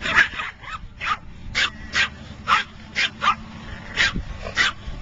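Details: Dog barking inside a car: sharp, loud barks repeated about twice a second for five seconds, with a steady low rumble of the vehicle underneath.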